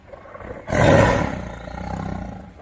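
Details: Tiger roar, described as spine-chilling: a sudden loud, harsh blast that swells quickly then tapers into a long rumbling growl.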